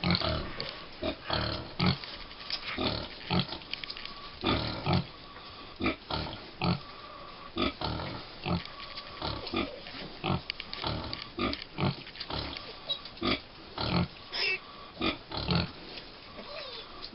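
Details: Five-week-old American Guinea Hog piglets at Wood Prairie Family Farm: a steady run of short, rough grunts and snuffles, clustered and overlapping, with brief quiet gaps between bursts.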